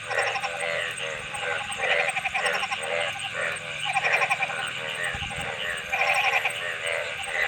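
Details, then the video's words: Several frogs call together, each note a nasal, rattling bleat of quick pulses, repeated irregularly and layered across the chorus, with a faint low thud near the end and a steady high hiss. "Frog Sounds"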